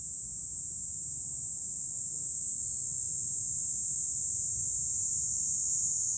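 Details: Steady, loud, high-pitched cicada hiss, unbroken and even in level, heard in July from a hilltop overlooking Fukuoka city, Japan, with light wind murmuring low.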